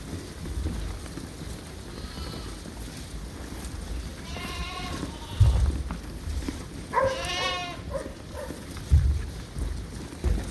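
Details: Suffolk lambs racing in a barn after escaping and mixing groups, give two quavering bleats, one near four and a half seconds and a longer one around seven seconds, over dull thumps of hooves and background rumble.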